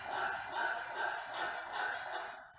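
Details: A pug with brachycephalic obstructive airway syndrome, graded grade three, breathes with loud, rasping, snorting noise, each rough breath following quickly on the last.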